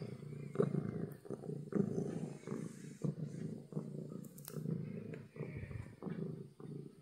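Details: Content house cat giving loud, deep purrs: a thick, vibrating drone pulsing evenly in breath-length waves, with a couple of small clicks near the middle.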